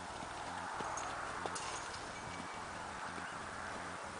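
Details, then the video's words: Tennessee Walking Horse moving in an all-natural rocking chair canter, producing soft repeated hoof thuds in regular groups over a steady outdoor hiss. "Rocking chair canter on a Tennessee Walking Horse! All natural!"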